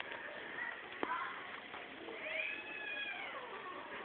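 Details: Several cats mating together at Geraki, Crete, one voice rising into a long, arching caterwaul that swells and then slowly falls, over other softer wavering cries and a sharp knock early on.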